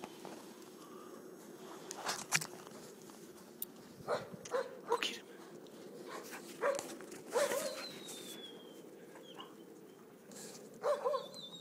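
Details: Grey wolves Lakota, Kiowa and Shadow playing in winter snow at Cedar Cove give short, scattered yelping whines, several in quick pairs, over crunching snow and soft rustling.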